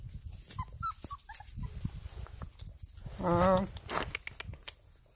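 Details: Pungsan dog mother with her nine puppies, one male and eight females, one month old; a single wavering whine lasting about half a second stands out among faint scattered squeaks and rustling low thumps.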